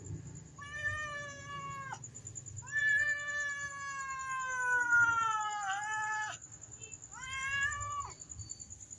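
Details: Black domestic cats, a mother and her kitten, begging for food: a short meow, then a long wavering meow of over three seconds that slides slightly downward, then another short meow, over a constant high-pitched whine.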